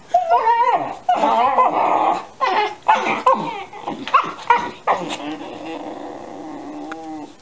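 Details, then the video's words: Thirteen-week-old Alaskan Malamute puppies yowl at each other beneath a chair indoors; warbling, bending yowls and whines in quick bursts about every half second, some breaking into grumbly growls, trailing off into a soft whine. "puppies sing you the song of my people"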